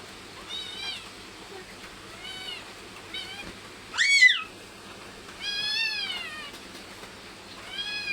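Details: Pet cat meowing repeatedly indoors, five high arching cries spaced about one to two seconds apart, one louder and sharply rising and falling, with faint room noise between calls.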